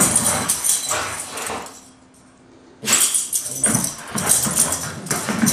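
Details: Two Siberian Huskies, Taiga and Blade, play-wrestling hard as they do every day, not fighting: bursts of rough, noisy growls and snarls, a quiet pause near the middle, then renewed scuffling growls.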